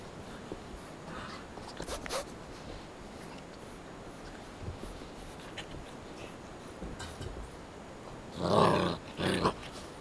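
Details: Seven-week-old puppies let out together to play; a low, steady background with scattered faint clicks and scuffles, then two short, louder harmonic yelping or growling bursts close together near the end.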